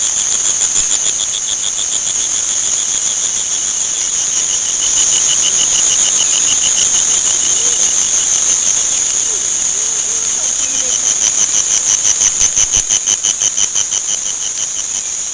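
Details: Loud crickets calling at a Shanghai insect, flower and fish market, giving a continuous shrill high trill. Rapid, distinct pulsed chirps stand out near the end, with faint voices low in the background.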